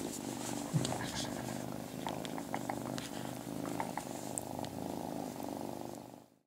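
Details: A tiny kitten purrs loudly in a bathroom: a steady low rumbling purr throughout, with faint clicks and light background sounds.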